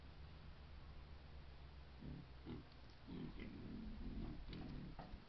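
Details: Herd of wild boar with piglets, caught by a camera trap in Foreste Casentinesi National Park, Italy: a series of short, low, rough grunts in quick irregular succession in the second half, over a steady low hum.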